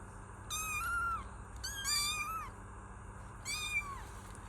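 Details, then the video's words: Three clear kitten mews, each slightly rising then falling, about a second apart, thin and high-pitched with rich overtones, over a quiet constant hum. "Kittens Meow || Kucing Mengeong"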